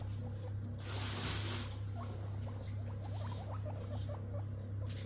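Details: Two pet guinea pigs rushing over for lettuce, giving a run of short rising squeaky wheeks repeated in quick succession, with pattering feet and a steady low hum underneath.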